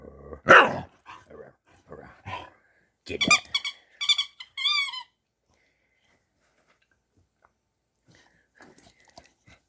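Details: Playful dog vocalizing during a game: a loud harsh bark followed by several short growly grunts, then high squeaky toy sounds and near-silence with faint rustling.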